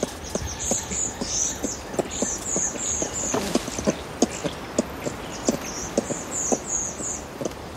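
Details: Close recording of clucking contact calls from adult ring-tailed lemurs feeding in trees, Berenty Reserve: brief knocking clucks in a loose, rapid series, over a steady backdrop of high-pitched chittering trills.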